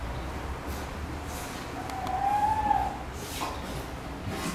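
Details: A hand-reared spotted seal pup in white fluffy coat, cared for by aquarium staff at Futami Sea Paradise after its mother died, gives one brief, thin, slightly arching tonal call over a low background hum.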